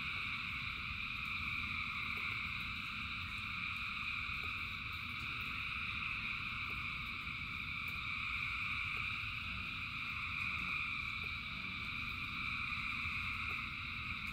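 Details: Thousands of frogs singing in rain: a dense, unbroken chorus of steady buzzing trills in several high bands, with no gaps, over a constant low hiss of rainfall and scattered soft drip clicks.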